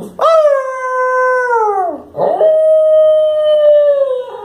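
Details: Male Lhasa Apso howling in the evening as he responds to his owner. Two long, steady, tonal howls with a rich harmonic sound: the first holds level and then slides down, and after a short break a second howl holds flat.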